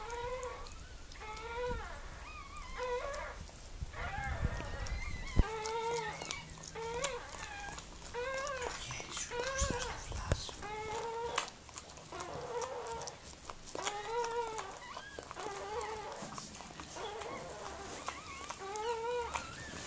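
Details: Mirella, a Miniature Pinscher, whimpering while giving birth to puppies: a long run of high, wavering whines, each about half a second, rising then falling, repeated every second or so, with occasional soft knocks and handling noise.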